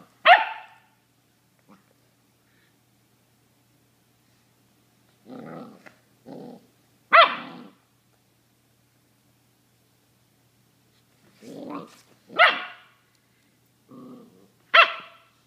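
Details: Doodle Dane dog: sharp, loud barks come singly every few seconds, mixed with shorter, lower gruff grunts and growly huffs between them, with quiet pauses in between.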